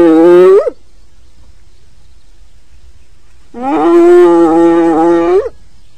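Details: Hyena calling with two long, steady, tonal hoots rich in harmonics. Each ends in a sharp upward sweep, with a pause of about three seconds between them. No other sounds.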